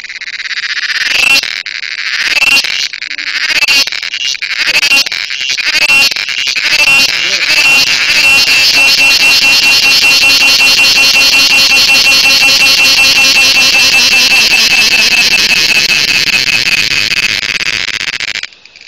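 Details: Close cricket, cheveed, with a few sharp knocks and handling clicks at the start, then a loud, continuous, harsh high trill that runs unbroken almost to the end before stopping abruptly.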